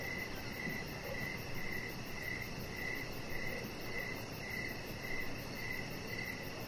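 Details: Evening crickets heard from an outdoor deck, short bright chirps repeated about twice a second in an even rhythm, with a steady low rumble underneath.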